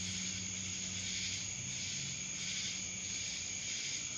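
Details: Cicadas in Dallas, Georgia: a dense, steady high-pitched buzzing chorus with gently pulsing swells, overlaid by a thin constant whine and a faint low hum beneath.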